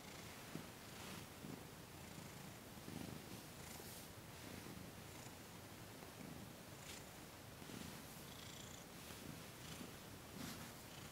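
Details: Thomas the cat purring during a massage and Reiki session indoors, December 28, 2021; a soft, continuous low rumble pulsing in slow breaths about every second or two, with faint higher hiss bursts above.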